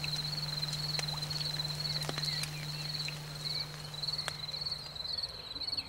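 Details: Crickets singing in spring after the rain, a steady high pulsing trill held without a break, over a constant low hum and a few scattered clicks.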